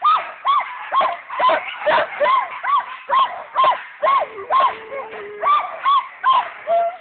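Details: Alaskan Malamutes at the stake-out, barking in a steady run of short, sharp, rising-then-falling barks, roughly two per second, with a busy background of other dogs' voices.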